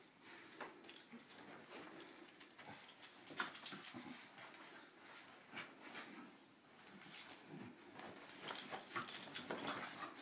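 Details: Morning brawl between pet corgis on a bed indoors: breathy snorts, huffing wheezes and thumping scuffles rise and fall irregularly, loudest near the end.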